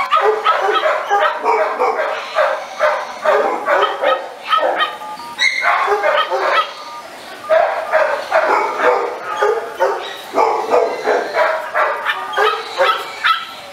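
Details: Rapid, insistent barking from an American Staffordshire Terrier: high ringing yaps pouring out several per second in long runs, broken by one short lull midway before the barking resumes just as fast.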